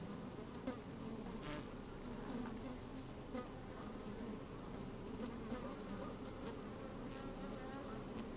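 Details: Honey bees at work within an opened hive, recorded by a microphone lowered into it on a sunny day: an even, murmuring hum broken by scattered clicks and taps.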